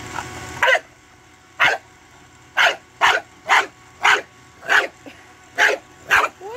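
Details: A bulldog playing with a bubble machine barks in short, sharp bursts, about nine barks roughly once a second with quiet gaps between. Background is otherwise fairly still.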